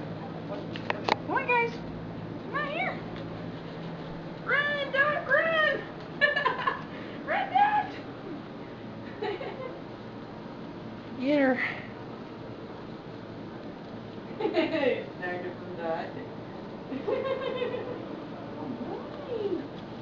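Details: Chihuahua puppies, a bunch of them playing all over a floor indoors: repeated high, squeaky yelps and whines in short bursts, several overlapping, with music and a woman talking in the background.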